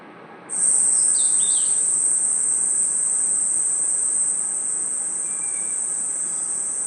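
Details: Crickets chirping at night in a forest: after a brief quiet start, a continuous, very high, steady insect trill holds throughout, with a few faint, short bird chirps early on and a low background hiss.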